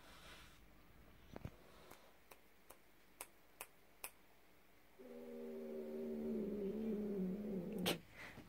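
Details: Devon Rex cats at a home cattery, Maystar, playing on a Monday morning; a series of sharp taps and clicks, then a long, harmonic, wavering growling yowl building and ending abruptly, in a small indoor room.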